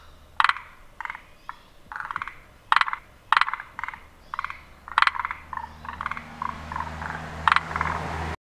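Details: Chorus of forest green tree frogs, vocal sacs puffing three times as they call. Rapid rattling, knocking croaks in short pulsed bursts, roughly every half second to a second, several frogs overlapping, with a low steady hum in the second half.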